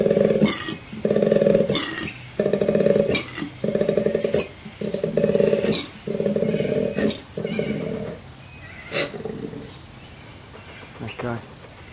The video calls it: This Cute Koala is Calling for You!